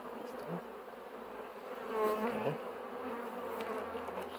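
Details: Loud, thick buzzing of many bees as a steady hum that swells briefly midway, with faint voices underneath.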